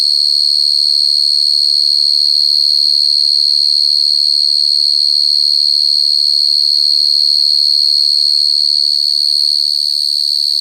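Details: Cricket giving a loud, unbroken high trill that holds one steady pitch with faint overtones above it, pulsing evenly for the whole stretch; a few very faint low murmurs sit far beneath.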